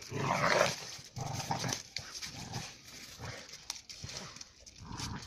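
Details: Two alabai puppies, Giranda and Gardarika, of Tajik flock-guard ancestry, settle a dispute by fighting; quick snarling growls and snapping bursts come in rapid, uneven succession, loudest at the start.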